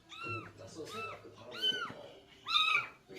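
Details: During a rescue, a stray cat meows repeatedly, four bright arched calls roughly every 0.7 seconds, the last one louder and longer. Quiet Korean talk continues beneath.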